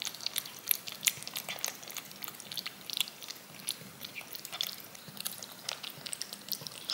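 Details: Domestic cat licking yogurt off a spoon indoors, a looped ASMR recording: fast wet clicking laps, bright and crisp, coming several per second in an uneven steady stream, with no voices or other sounds.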